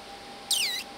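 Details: Emperor tamarin from the family at Loro Parque, where a breeding pair has two new babies joining older siblings; one very high, thin call lasting about a third of a second, stacked arching whistles curving downward over a steady faint hum.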